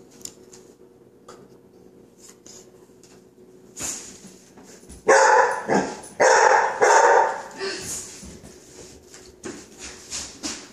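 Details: Coco, a 5-month-old male chocolate Labrador who hates the hissing "chhht" of non-stick spray, lets out a short run of loud, rough barks in a cluster after quieter rustling, with human squealing and laughter mixed in.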